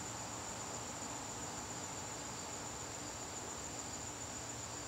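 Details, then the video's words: Evening crickets in a September garden produce an unbroken, high, fine-textured trill that stays level from start to finish, with a low drone beneath it. "garden crickets"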